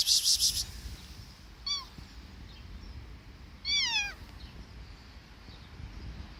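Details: A curious street kitten in Kadıköy, Istanbul, which is not hungry, gives two high, thin meows, each sliding downward in pitch, a couple of seconds apart.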